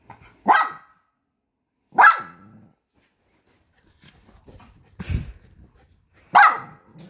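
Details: Poodle puppy, upset at being served food on paper, lets out loud, abrupt barks spaced a second or more apart, with a brief low rumble and soft shuffling noises between them indoors.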